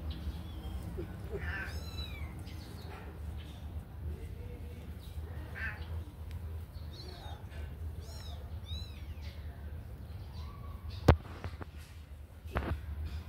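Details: Several kittens freed from a cage to play make thin, high squeaky mews in scattered bursts, with a sharp knock near the end and a low hum throughout.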